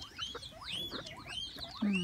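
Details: A crowd of guinea pigs at a petting zoo in Sodegaura, Chiba, Japan: shrill upward-sweeping squeals overlap continuously, ending in a louder, lower drawn-out tone.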